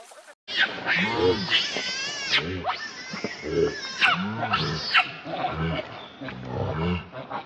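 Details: Baby monkey Leo crying and begging its mother for milk: loud, strained, arching cries with strong harmonics, rising then falling, given in close succession about every second with brief gaps and low grunting beneath.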